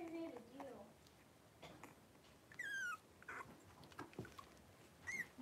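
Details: Three-week-old blenheim Cavalier King Charles Spaniel puppies, five littermates born at New Year, wrestle in a home puppy pen. A wavering whine opens, then a long, falling squeal and a few short, high yelps, with light knocks and shuffling.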